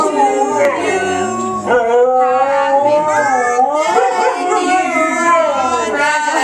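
A Siberian Husky howls in long, wavering, sliding tones alongside people singing a birthday song.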